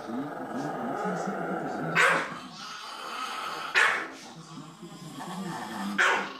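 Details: A Chihuahua defending the TV remote it holds gives sharp, high single barks about every two seconds.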